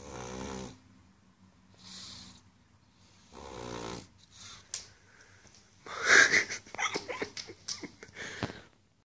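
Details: Pug asleep after a party, snoring in three slow harmonic rasps, each about two-thirds of a second long and spaced roughly 1.5 seconds apart, followed by louder, scattered, broadband snorts and rustling.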